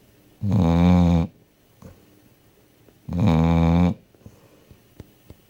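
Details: Sleeping dog Fufi gives two loud, low snores nearly a second long each, spaced about three seconds apart, in a quiet small room with faint ticking sounds afterward.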